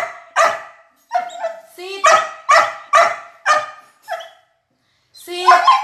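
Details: Chatty Border Collie at a chicken food review: a series of harmonic, clipped barks roughly every half second, interspersed with short whiny yips and a final drawn-out vocal bark.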